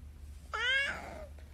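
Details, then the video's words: Adopted orange domestic longhair female cat, described as a very special fluffy cat, gives a single clear meow of under a second, a bright harmonic cry that bends slightly and trails off downward, over a low steady indoor hum. "talking cats"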